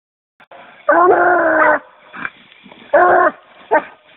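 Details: Treeing Walker Coonhound pup barking at a tree while getting in shape for fall, with an angry-sounding tree mouth: two long harmonic bawling barks, each under a second, separated by shorter, quieter yelps.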